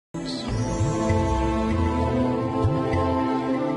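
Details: Soft, sustained background music with a brief murmur of voice over it.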